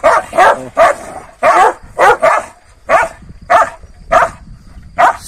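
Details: Kangal dogs squabbling with each other in the morning after being given a rabbit the night before; deep, rough barks repeat about nine times in five seconds at an uneven pace.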